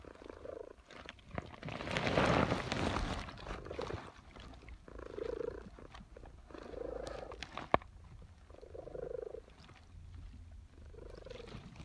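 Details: Domestic cat purring during her afternoon nap in suburbia, a soft rhythmic rumble in evenly spaced pulses about one second apart, broken near the start by a brief louder rustling burst.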